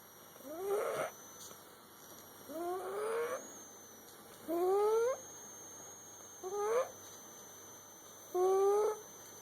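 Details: Sleeping cat snoring, five wheezy breaths whose pitch climbs as each ends, the first ones rougher and fuller, the later ones clearer whistles, spaced about two seconds apart over a quiet hum.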